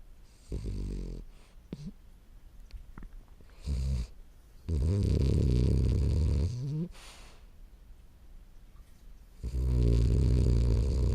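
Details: Morio, a 10-month-old French Bulldog, snores while asleep indoors: deep, rumbling snores in uneven bursts, including a long rasping stretch of about two seconds and a louder snore near the end, with quiet breathing between.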